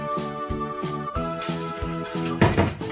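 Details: Background music with a steady beat and sustained tones, plus a brief bump or knock near the end and no animal voice.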